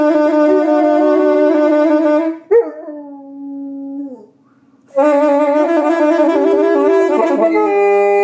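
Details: A female Rottweiler howls along with a saxophone. A long wavering howl slides down in pitch during a pause in the playing, with loud saxophone phrases before and after.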